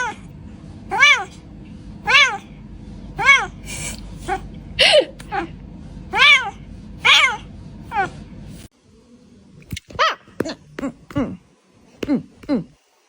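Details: Kitten meowing indoors: a run of short, arched, high meows about once a second, then, after a brief pause, a quicker burst of shorter clipped meows, over a low room hum.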